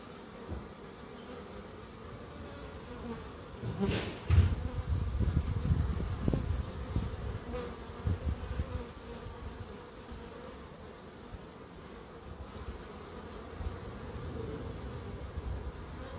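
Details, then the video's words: Bees buzzing in a small wildlife garden in Crookes, a steady low hum overlaid midway by a burst of deep thumping and rustling knocks, then settling back to the even drone. "1hr of Relaxing Bees"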